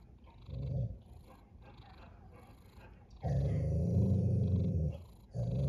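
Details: Snoring cat with loud, rough, deep rumbling breaths: a short snore, a quiet pause, then a long two-second snore and the start of another, in a slow breathing rhythm.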